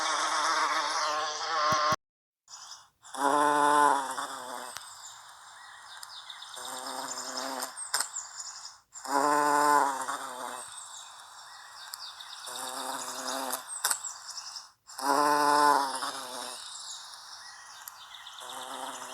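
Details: American bumblebee (Bombus pensylvanicus) pollinating Salvia clevelandii gives low, droning buzzes in bursts of a second or two, returning every few seconds.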